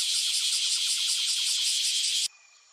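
A cicada gives a loud, harsh, buzzing drone with a fast pulsing rhythm, then stops abruptly.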